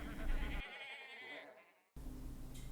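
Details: A quavering sheep bleat tails off into silence, after which a separate burst of broadband noise starts abruptly.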